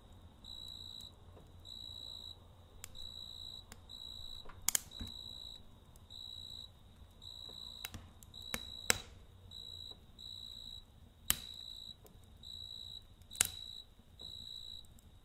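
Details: Night chirping of a cricket by a campfire, bright high trills pulsing evenly about once a second while frequent sharp pops and snaps from the fire cut through.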